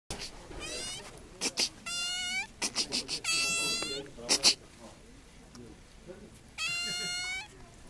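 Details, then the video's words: A cat described as a Russian talking cat gives a run of drawn-out tonal meows, each roughly half a second to a second long, steady then slightly falling in pitch, separated by short clicks and a low room hiss. "Russian talking cat"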